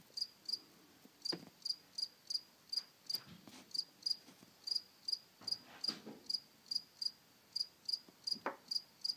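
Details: A cricket chirps steadily in summer, short high trilled pulses repeating about twice a second.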